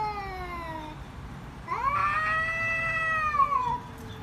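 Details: Cats locked in a fight give loud screaming yowls: a fading descending wail, then a brief pause and a strong rising, sustained cry that bends slightly before dropping away.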